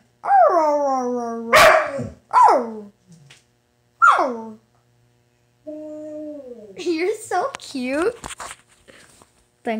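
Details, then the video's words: Dog "talking" in short whiny yelps and moans that fall in pitch, with a sharp bark-like burst, a flat sustained whine, then rapid grumbling vocal fragments near the end. "My dog talking"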